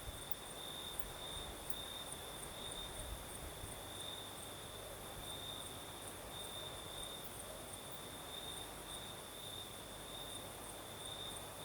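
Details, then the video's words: Crimean crickets at night keep up an unbroken shrill trill, slightly beaded in rhythm, layered with a faint higher trill, while a night breeze adds a steady airy hiss. "Сверчки поют"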